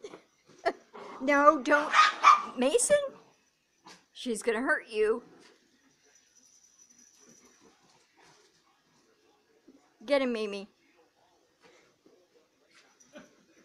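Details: Almost 200 lb male Neapolitan Mastiff leg wrestling with his owner and chased by his little sister, giving three bursts of deep, harmonic, yelping bark-growls between quiet stretches, with a man's voice speaking nearby.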